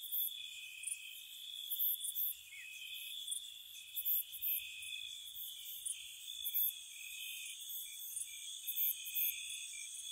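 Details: Crickets chirping softly on a spring night at a cottage: steady piercing trill bands topped with quick, bright chirps repeating at irregular intervals, a calm continuous chorus.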